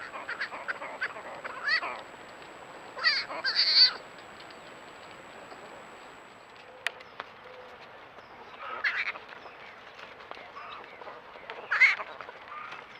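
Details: Baby javelinas making cute noises, heard as short squealing, honk-like bursts scattered through the recording, some rising and falling, with quiet gaps between calls.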